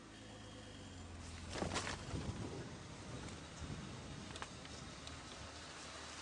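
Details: A steady engine hum runs beneath broad hissing outdoor noise, broken by a few brief clicks and knocks. No animal calls stand out.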